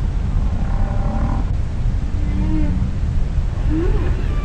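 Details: Underwater humpback whale song with soft wavering moans, a short low held tone and a quick rising sweep near the end, all set against constant deep water rumble.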